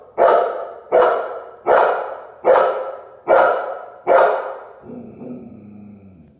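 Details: Golden Retriever barking at its own reflection: six loud, sharp barks in steady rhythm about every 0.8 seconds, then softer whining and low grumbling sounds trailing off.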